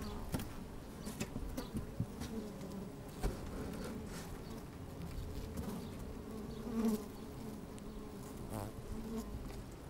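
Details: Busy honey bees moving about in an opened hive on a sunny, slightly windy day, recorded from inside the hive: continuous low droning hum, faint harmonics, scattered clicks and brief louder buzzes.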